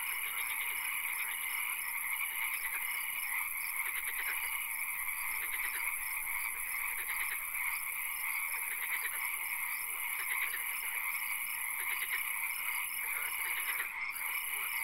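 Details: Frogs calling in a swamp at night, where occasional rain is noted: many overlapping callers give quick pulsed croaking trills in short bursts, over a steady high hiss and a constant droning tone.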